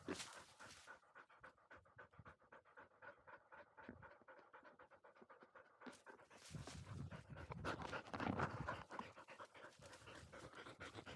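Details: Labrador Retriever puppy of a field line, 439 days old, after sprinting uphill; quick, even panting at almost four breaths a second, growing louder and rougher in the second half with scuffling.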